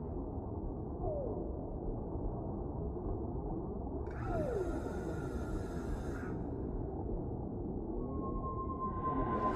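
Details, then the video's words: Whale calls set in a deep-sea ambience: slow, drawn-out descending moans glide downward about three seconds apart, followed by a steady, higher sustained tone near the end, all over a constant low rumbling wash of water. "Suara Relaksasi Paus di Laut Dalam , Relaxing Sounds of Whales in the Deep Sea"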